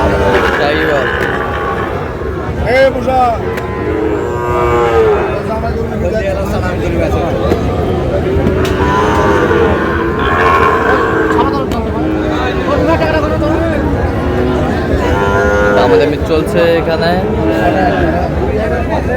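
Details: At a Narail cattle market where a farmer buys a Sahiwal bull calf, cattle moo repeatedly. Loud, curving bellows come in bursts every few seconds amid continuous crowd chatter and occasional knocks.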